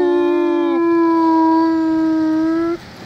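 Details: Akita dog howling: one loud, sustained, steady tone with rich harmonics, a brief lower start then a long even note of nearly two seconds ending abruptly, no other sounds.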